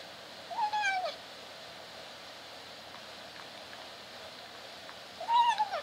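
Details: Kitten in a cage trying to meow while eating: two short strained meows, one near the start and one at the end, with a quiet gap between them.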